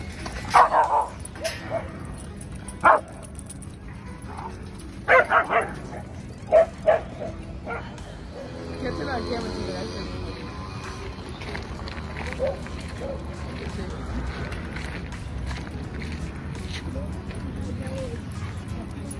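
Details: Albino, a 10-month-old male Alaskan Malamute puppy weighing over 100 pounds, at a dog park in New York City: a few sharp barks in quick clusters during the first seven seconds, then people talking over outdoor park noise.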